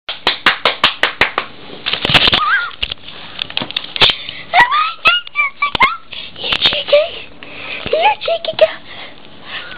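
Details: Eight-week-old blue and white whippet puppy indoors, giving a string of short rising and falling whimpers and squeaky yelps in the second half, over frequent sharp tapping and clicking noises.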